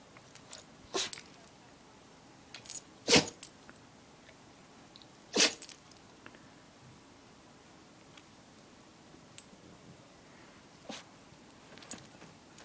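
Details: Luigi, a pet dog, sneezing: several short, sharp, breathy bursts, the loudest two near the middle, with quieter clicks and snorts between them in a quiet room.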